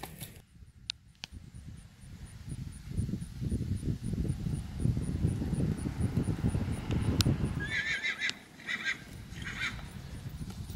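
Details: Big Red, a 9-year-old sorrel Tennessee Walking Horse gelding standing 15.1 hands, kept for trail pleasure riding: low thudding and rustling give way to a high, quavering whinny broken into several pulsing bursts near the end.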